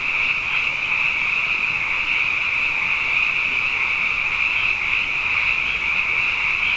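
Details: Night chorus of many frogs, plentiful after two consecutive wet years: a continuous shimmering wall of high-pitched trills with a fainter lower layer, even in loudness from start to finish.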